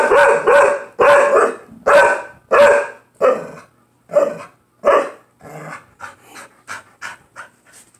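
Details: Pair of pit bulls squabbling in play over a toy at home: a run of loud gruff barks about once a second, gradually fading into shorter, softer yips and huffs toward the end.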